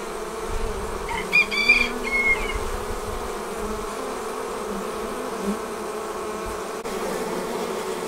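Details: Swarm of honey bees leaving the hive: an even, layered drone of many wings, with a brief high whistled chirp from another bird near the start.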